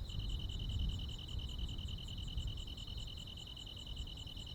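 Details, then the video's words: Crickets and other insects calling on a midsummer night in the countryside: a steady, rapid high pulsing trill with fainter, sharper ticks above it, over a low background rumble. "시골 야간 귀뚜라미, 벌레 소리"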